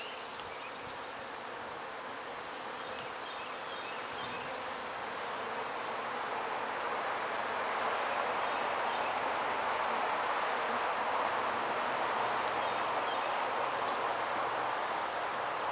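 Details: Honey bees swarm at a house in Bedford with no nest present, buzzing together in a dense, steady hum that slowly swells louder.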